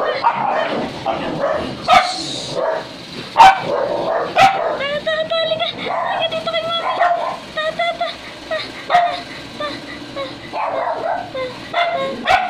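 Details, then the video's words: Two-week-old puppy eager to roam, giving high, thin yips and whining cries in rapid uneven bursts, some notes rising, with people talking nearby and a few sharp knocks. "2wks old puppy gusto ng gumala"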